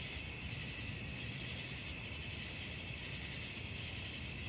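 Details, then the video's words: Crickets at night keep up an unbroken high trill, partly masked by a rumbling low background noise resembling distant traffic. "suara jangkrik malam"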